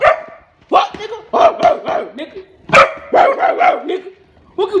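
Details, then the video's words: Pet Rottweiler barking at its owner: short, rough, vowel-like barks in irregular bursts about every second or two, with brief pauses between groups and a human voice mixed in. "pet rottweiler barking at me"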